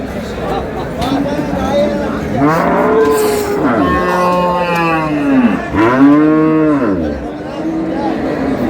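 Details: Cows and calves for sale at Ambari haat, Dinajpur, Bangladesh, 27 March 2026; several drawn-out moos follow one another, each swelling and then bending downward, amid continuous chatter of buyers and sellers.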